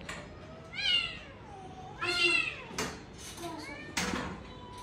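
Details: Pet cat meowing while swinging, a few drawn-out rising then falling meows spaced about a second apart, with a person talking softly.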